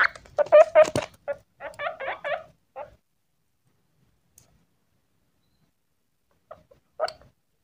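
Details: Male pet guinea pig by his cucumber squeaks in a quick burst for about three seconds, then falls quiet apart from a lone faint squeak near the end.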